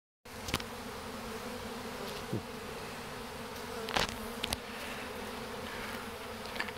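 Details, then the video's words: Honey bee swarm marching into a hive box toward their queen, fanning wings at the entrance to spread her pheromone; steady droning hum with bands near 200 and 400, a few sharp clicks and knocks. "Bees marching into a hive"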